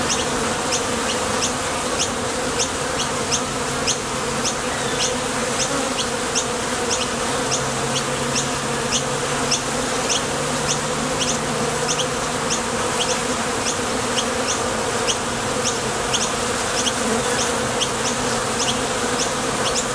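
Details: Swarm of honey bees at a Top Bar Hive entrance, leaving for and returning from the field to gather nectar; thick unbroken droning buzz with rapid high flick sounds nearly twice a second and a brief deeper hum midway.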